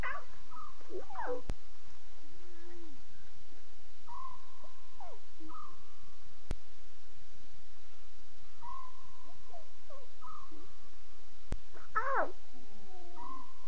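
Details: Lion cubs vocalising at 2:40 a.m. on 5 October 2016: a wavering cry at the start and a louder harsh mew near the end, with repeated steady whistled tones between.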